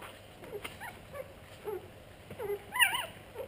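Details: Pug cross puppies giving soft, high, wavering whimpers and squeaks, short scattered calls every half second or so, louder near the end, over faint background hiss.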